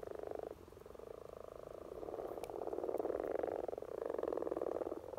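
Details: Common frogs courting in spring, Norway: a low, throbbing chorus of fast-pulsed croaks that dips briefly, then builds steadily, with one faint high click midway.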